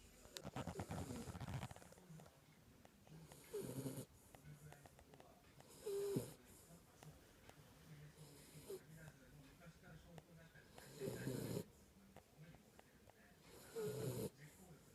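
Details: A faint, irregular series of raspy snores from Kinako, a Jack Russell Terrier asleep. The short bursts are spaced several seconds apart, some ending in a brief whistling squeak.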